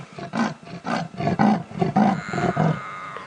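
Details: An adult female leopard, a mother, gives her territorial call at sunset: about five rough, deep rasping sawing strokes, calling louder after her soft contact calls went unanswered by her young male cub.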